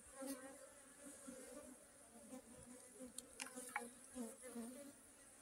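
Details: Honey bees humming in a continuous low, even drone with a faint higher overtone that swells and fades slightly, with a few light clicks and taps.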